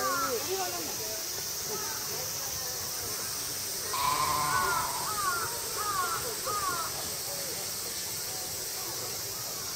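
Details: Female mouflons at Tama Zoological Park during a summer night event in August 2012, suddenly calling all together: several overlapping harmonic bleats, short rising-falling wavering cries that repeat rapidly, with steady crowd murmur and hiss behind.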